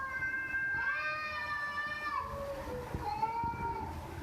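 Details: House cat producing a long, strained meow that swells and holds for over a second before sliding down, followed by a softer trailing meow, over low room noise.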